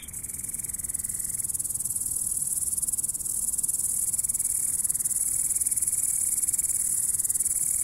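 A grasshopper's steady, dry buzzing trill fills the air without pause.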